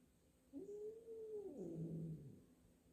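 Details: Two house cats, a black cat and a newly arrived black-and-white cat, meeting indoors for the first time, the black cat unsure of the newcomer; one long, low, drawn-out meow rising then sliding down, in a quiet room.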